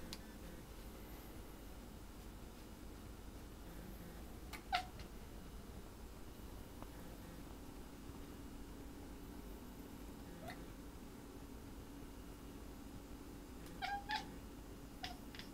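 A domestic cat makes brief, high chirps and little rolling trills, scattered singly and in quick pairs across a quiet indoor space. Soft clicks and thumps of movement are heard between the calls.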